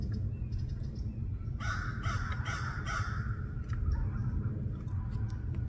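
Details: A chunky fox squirrel, upset that its supply of raw sunflower seeds has run out, gives a short run of harsh, raspy calls over a steady low rumble.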